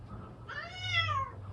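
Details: Odeuri, a pet domestic cat with a voice gone hoarse after tooth extraction surgery, gives one rounded meow indoors, about a second long, rising slightly then falling at the end, rich in harmonics, with a steady low room hum beneath.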